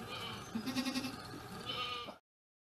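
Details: Moments after a Boer goat delivers her kids with minimal intervention, a wavering, tremulous bleat pulses several times, followed by a brief higher cry before silence; a person speaks softly nearby.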